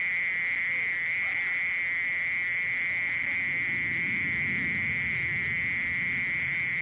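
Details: Continuous mole cricket song: an even, droning trill at a fixed high pitch running without a break, with a muffled low rustling swelling midway.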